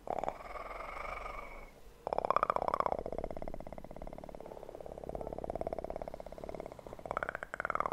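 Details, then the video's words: Close, intimate kitten purr for relaxation: after a brief hush, a continuous fast vibrating rumble runs for roughly five seconds, swelling and easing in rhythmic waves, with small rustles near the end. "ASMR kitten purr"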